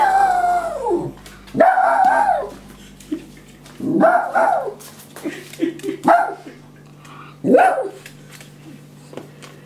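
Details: Female West Highland White Terrier howling playfully: a long wavering howl sliding downward, then shorter rising-and-falling howls at intervals of about two seconds, with a steady low hum underneath.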